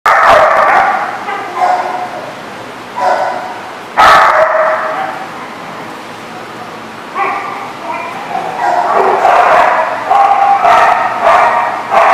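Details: Dog barking on 8 September 2014 (9/8/14): loud, harsh barks in irregular clusters, some rapid and overlapping, with brief pauses between bursts and faint human voices in the background.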